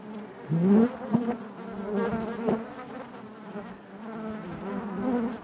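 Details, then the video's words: Hive of honey bees humming continuously, with one bee passing close early on giving a rising buzzy sweep, then a steady layered drone with soft swells. "bees therapy hive natural buzzing sound"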